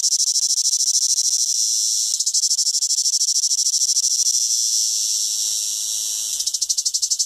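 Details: Shrill cicada chorus heard in summer: a loud, sizzling high buzz with rapid throbbing pulses at the start, a long steadier stretch, then pulsing again near the end.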